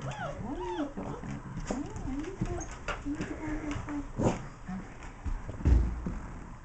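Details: Teething German Shepherd puppies at four weeks, romping with adult dogs DJ, Tisha and Puggy. They give wavering, drawn-out whines and a few higher slurred cries, with thumps of play and a woman's voice nearby.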